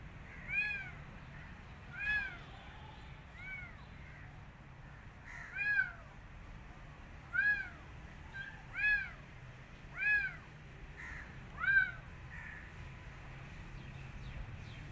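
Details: Kitten rescued from the street, wanting to return outside and not eating, meows repeatedly: about nine short rising-falling cries spaced one to two seconds apart over a steady low hum.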